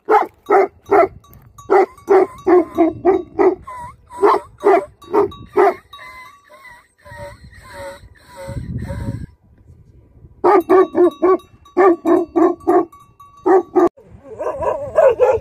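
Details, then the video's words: Livestock guardian dogs bark rapidly and almost continuously, with a stretch of tonal music in the middle overlaying the scene before the steady barking resumes. "Livestock Guardian Dogs Barking"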